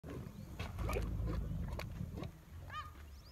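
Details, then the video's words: A big camel gives a deep, rumbling, gurgling grumble that swells and fades over about two seconds; a brief high chirp, apparently a bird, sounds near the end. "Big camel 🐪 sound"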